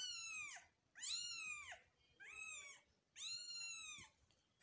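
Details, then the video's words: Persian kitten, newborn, giving four high, strained cries, each arching up and sliding down over about half a second to a second, repeated at fairly even gaps in a quiet room. "Persian new born kitten"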